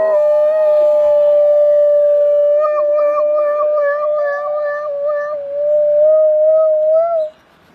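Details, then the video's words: Dogs howl in imitation of a passing ambulance siren: a long, steady, sustained tone held for about seven seconds with slight wavering and faint siren-like sweeps behind it, then ending abruptly. "كلاب تقلد صوت الاسعاف"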